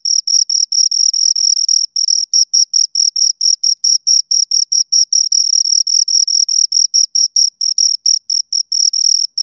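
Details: Two crickets chirping close up, a high, pure pulsed trill of short chirps repeating about five times a second, some pulses overlapping and slightly irregular, with no other sounds.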